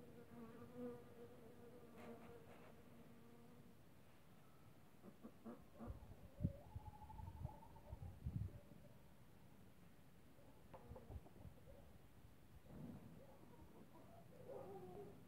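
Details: Several honey bees working squill flowers (viorele) on 4 March 2024: droning hums come and go, shifting in pitch as the insects fly near and away, with a few soft bumps and rustles in between.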